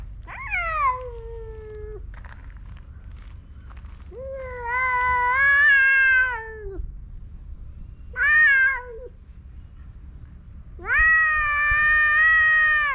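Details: Male stray cats on a cat island squaring off in a fight, giving long drawn-out yowls with rich harmonics, four separate wails rising and falling, each lasting one to three seconds, over low background rumble.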